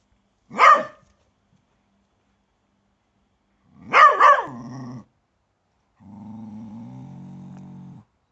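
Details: Doug, a Bedlington Terrier, barking at a grub he found in the garden: a sharp single bark, then a double bark trailing into a low growl, followed by a steady low growling rumble.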